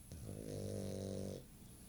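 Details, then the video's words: Sammy, a female pet dog, snoring while asleep with her eyes open indoors; one drawn-out rasping snore of about a second, a low buzzy tone with stacked harmonics, in a quiet room. "Sammy the Snoring Dog - Eyes Open!"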